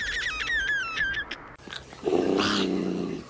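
A domestic cat gives a low, pulsing growl after a person's high-pitched, sing-song talk.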